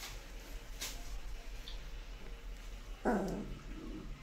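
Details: A young Kanni puppy at playtime in Coimbatore gives a single short, rough bark near the end, after low background noise and faint rustling.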